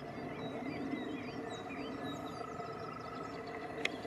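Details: European green toad. A European green toad holds a long, even trill at a constant middle pitch, purring on without a break. Higher bird chirps and whistles flicker above it over a broad wash of outdoor noise.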